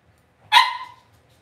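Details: Cavalier King Charles Spaniel puppy raised indoors in a home puppy pen: a single sharp, high yelp that bursts out and trails off with a slight downward slide, against a quiet background.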